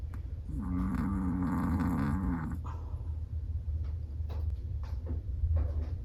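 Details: Snoring of a sleeping Chihuahua: one wavering, nasal snore lasting about two seconds, followed by soft breaths and faint clicks over a low steady rumble.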